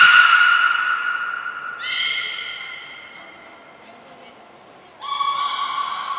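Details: Belugas in training at Port of Nagoya Public Aquarium on 16 March 2024, all animals participating: separate bursts of strong harmonic whistled tones, each starting sharply and slowly fading, with quiet gaps between.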